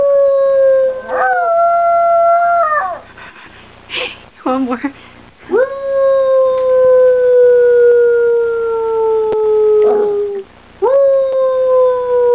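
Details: Baby dog howling like a coyote: a short level howl, a burst of choppy yipping notes, then a long smoothly falling howl and the start of another, all clear and close.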